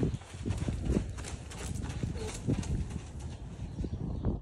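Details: Lunging two-year-old Quarter Horse filly, buckskin, moving through dust; repeated soft, low hoof thumps in a regular gait pattern, with faint voices and open-air background hiss.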